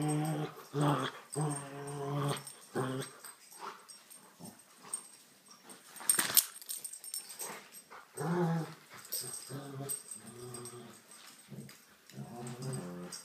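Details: Rottweiler growling during a game of tug of war: deep, rumbling growls in bursts of one to two seconds, broken by pauses, with thumps and rustling from the tug toy in a small room.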